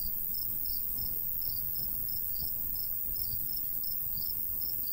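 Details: Crickets in summer countryside by a golden wheat field, giving short high chirps in quick pairs and triplets about every half second, over a steady low rumble of light breeze.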